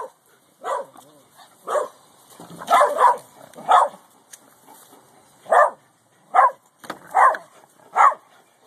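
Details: A Boston Terrier spying on the neighbours, where a Corgi it hates lives next door, barks in short, sharp bursts, one every second or so, at an uneven pace.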